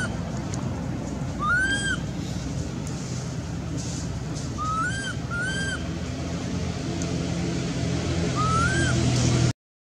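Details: Anissa, a hungry baby monkey, cries for her mother and milk: four plaintive whistled calls, each rising then falling, spaced a few seconds apart with a pair close together, over constant low rumbling noise.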